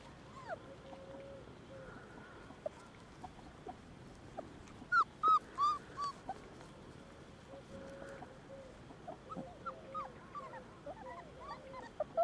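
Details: Border Collies at the Domaine des Tourelles breeding farm, as Tresor discovers the puppies, his future playmates: scattered high, arching whimpers, with a cluster of louder sharp yelps midway and quick squeaky whines near the end.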